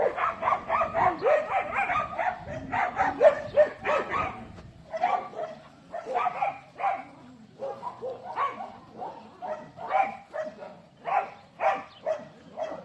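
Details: Dogs barking in rapid, ragged bursts, several sharp yaps packed into each second early on, then a brief lull before spaced, harsh barks resume and continue at an uneven pace.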